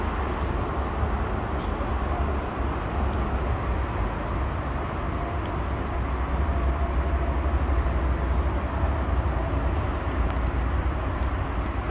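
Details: Steady, heavy low rumble of passing traffic or a train fills the whole recording, with no animal voice.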